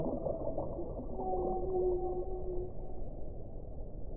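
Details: One whale moan, a smooth sustained tone with a faint higher overtone, lasting about a second and a half against a rumbling, noisy backdrop.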